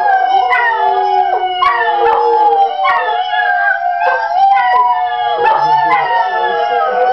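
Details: Chorus of three domestic greyhounds rooing with recorded hounds, the dogs dark brindle, small fawn and light brindle. Tangled wavering howls rise and fall, voices overlapping throughout, with short swooping drops and clicks scattered across the seven seconds.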